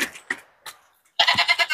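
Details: Female goats of Gujri and Punjabi breeds for sale at a goat market in Bhiwandi. A short, tremulous bleat arrives late, its voice pulsing about six times in quick succession, after a few faint scraps of human voices and knocks.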